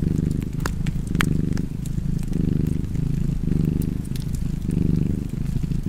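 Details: Purring cat with a low, rumbling vibration that swells and dips about once a second with its breathing, and fireplace crackles snapping over it, two sharp pops early on.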